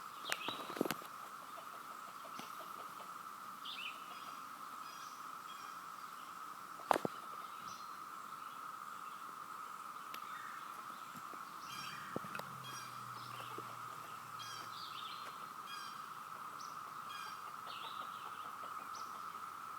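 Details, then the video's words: Cicadas heard everywhere around the yard, their steady droning chorus sounding like a waterfall: one unbroken mid-pitched buzz throughout, with scattered faint bird chirps above and a few sharp clicks and knocks. "Cicada sound"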